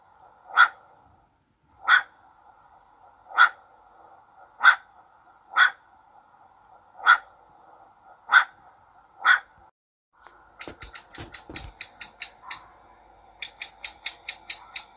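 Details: Sharp, separate barks from a young cacomixtle (ringtail), eight in a slow series about a second apart, followed by fast chattering trains of high clicks, over a faint continuous hum.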